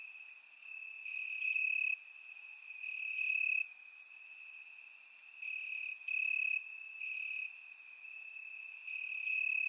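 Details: Warm summer night in Bulgaria, crickets calling from the grass: a bright continuous high-pitched trill swelling into louder one-second bursts roughly every one and a half seconds, with faint clicks sprinkled between.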